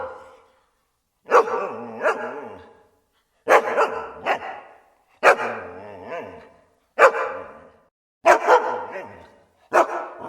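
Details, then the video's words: Barking dogs give short, rough barks, often doubled in quick pairs, with gaps of about a second or more between bursts and no other sounds. "Cachorros Latindo"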